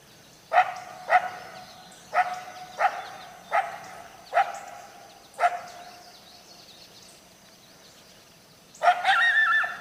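A coyote gives a series of sharp, hoarse barks, then a wavering, drawn-out howl.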